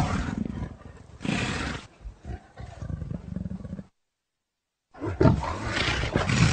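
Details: Deep, rasping leopard growls run almost continuously for four seconds, swelling and breaking into choppy pulses, then stop dead and resume as a loud, harsh snarling roar.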